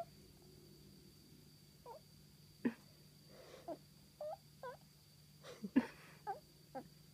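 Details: Pet cat Seiya, female, expressing herself at home with brief curling chirrups, several bent tonal chirps in quick succession between sharp clicking taps, against a constant electrical hum.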